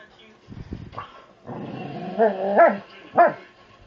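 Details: During playtime started by Allie, a heavy 70-pound Labrador Retriever lets out a low rumbling growl that breaks into two sharp, yelping bark-whines near the end, preceded by soft thumps.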